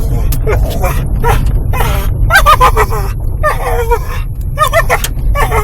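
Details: Eddie, a dog riding in a car as it arrives up the owner's parents' driveway, gives choppy, broken whimpers and grunting whines in quick irregular bursts, with a deep engine rumble throughout.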